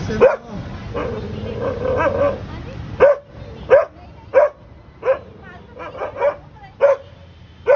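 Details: Pet dog BROphy barking at a cat: sharp single barks repeated roughly every second, each a short loud burst, with a softer whining stretch near the start and quiet background.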